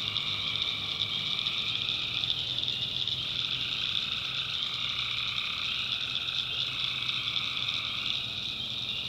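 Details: Many tree frogs calling through the night in a backwoods North Carolina swamp; a ceaseless, ringing high chorus with overlapping trills of slightly different pitch swelling and fading, a faint low drone underneath.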